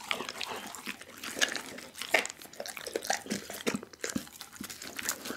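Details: Close-up mastication from Dougie the pit bull eating a whole raw chicken, captured with an Insta360 ONE R: crisp, crackling bites and moist smacking at an uneven pace, with sharper cracks near two seconds.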